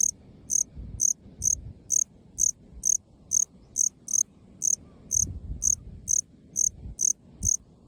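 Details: A male Melanogryllus bilineatus from the Ryukyu islands south of Amami, calling from short grass in an open park field. Clear, cool, high chirps come steadily, a little over two each second, above a quiet, faintly rumbling background.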